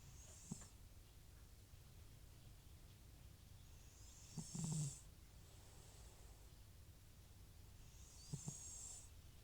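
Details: Sleeping old cat Butcher, FIV positive and prone to snoring when off nasal medication, gives rasping, snorting snores roughly every four seconds, each with a breathy hiss, against a quiet low room hum.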